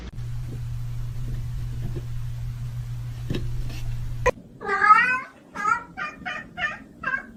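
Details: Domestic cat from a funny cat compilation giving a run of about five harmonic meows in the second half, the first long and loud, the rest shorter and spaced about half a second apart, after a steady low electrical hum.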